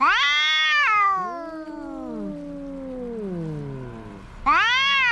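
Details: Fighting cats: a sharp rising yowl slides down into long falling moans from two voices overlapping, fading low before a fresh loud wail breaks in at the end.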